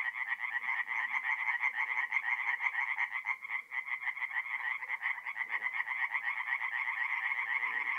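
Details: Night chorus of tree frogs at a forest pond, north-east Italy, mid-April: fast rattling croaks, roughly two per second, stacked into a steady buzzing wall of sound, with faint lower calls from other frogs.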